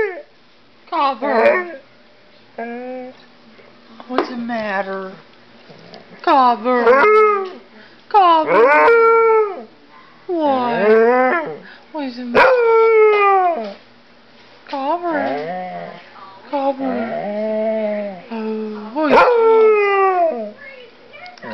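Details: Pet dog howling while holding a bone indoors, giving a series of drawn-out, wavering howls that slide down in pitch, about one every two seconds, with a steady low hum in the background.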